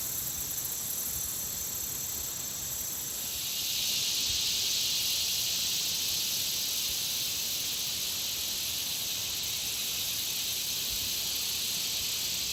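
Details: Many insects around a country pond call together in an unbroken, high-pitched, hissing buzz with a fast underlying pulse; a few seconds in, the chorus swells louder and fuller, then holds steady.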